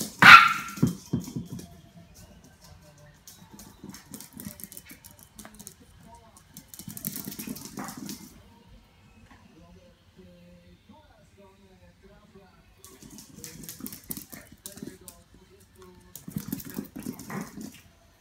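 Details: A 13-week-old Yorkshire Terrier puppy opens with a sudden, piercing high bark. Quieter low rumbling murmurs follow in short bursts, mixed with a person talking and faint background music.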